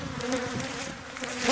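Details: Steady low drone of many bees during bee venom collection in Thessaloniki, Greece, 13 October 2017, holding an even humming pitch with slight wavering and a faint hiss rising at the end.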